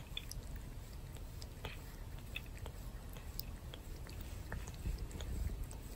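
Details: Pet cat Torapachi grooming its human, possibly to relieve stress after a fireworks display: rasping, wet licking clicks, irregular and soft, over a low indoor rumble.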